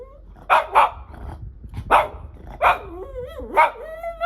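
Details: A Shih Tzu reacts to weird sounds with short, sharp barks, singly and in pairs, about a second apart.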